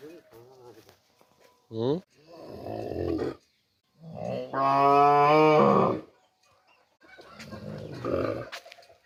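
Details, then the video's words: Cow mooing in a series of loud, drawn-out harmonic moos, one long steady call in the middle and shorter ones before and after, separated by brief silences. "Cow Hamba Goru, Big Goru, Uploading Cow, Cow Videos, Cow Sound Effects Mooing Video"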